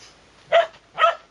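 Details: Two sharp, bright barks half a second apart from Sora, a Shetland Sheepdog eager for treats kept in a pocket; clean and close with no other sounds.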